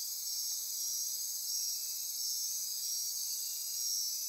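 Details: Night-time insect chorus in Costa Rica's Osa Peninsula rainforest near Corcovado: unbroken piercing trills and buzzing stacked at high pitch, a steady drone with slight swells in volume.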